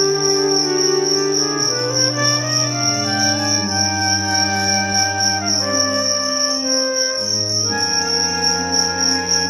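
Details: Small crickets (about 1 g each) are set to fight in an arena, giving a steady, high, shrill unbroken trill over louder background music with low, shifting instrumental notes.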